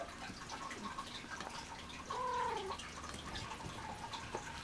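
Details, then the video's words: Alie, a pet cat playing and talking back, lets out a single falling meow about half a second long midway, amid light rustling and tapping noises in a room. "Alie meowing like crazy and playing with toy"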